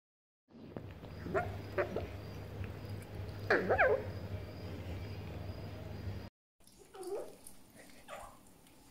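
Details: Djinn, a grumpy pet fox, giving angry calls: short, harsh, wavering whines, with a longer rising-and-falling cry in the middle and two more after a brief cut, over a steady low indoor hum.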